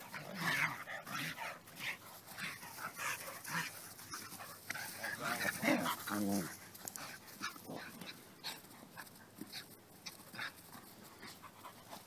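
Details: Play wrestling in Florida between dogs Superbolt and Hako, an American Indian Dog mutt; short rough growls and yips rise through steady scuffling and rustling, peaking midway, then fade into lighter shuffling.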